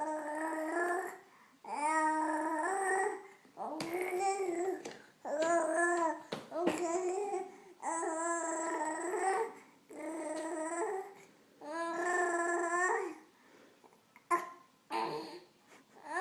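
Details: A dog named Sawyer making funny noises indoors: a run of drawn-out, tonal whine-howls that waver in pitch, about eight separate bursts with short pauses between them, in a small quiet room.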